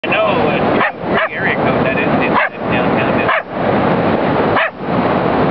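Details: An eight-month-old female Miniature Pinscher barks at the camera person at a sunset beach while waiting for the camera click; continuous loud noise, likely wind, fills the recording, with a few short yips over it.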